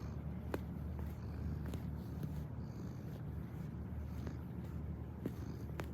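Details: Cat purring while kneading, a steady low rumbling drone throughout with faint scattered clicks and taps.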